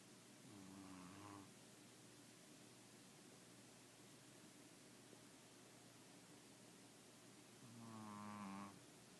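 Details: Pickles, a very tired pup after a busy day, snoring at bedtime: two drawn-out, rumbling snores with a buzzy, layered edge, one early and a louder one near the end, with steady quiet room hiss between.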